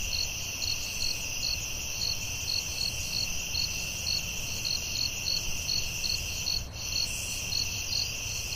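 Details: Night chorus of crickets in the forest, a constant high-pitched drone layered with evenly spaced short chirps roughly twice per second, plus a soft low background hum.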